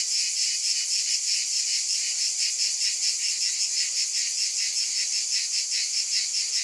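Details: A continuous shrill buzz from cicadas, dense and unbroken, carrying a fine rapid pulsing throughout, with nothing else audible.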